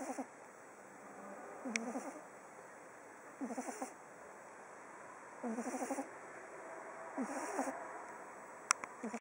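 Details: Oliver, a sleeping pug on day 19, snores in a regular rhythm of rough, vibrating, nasal rasps about every two seconds. A few sharp clicks and small knocks are heard in the background.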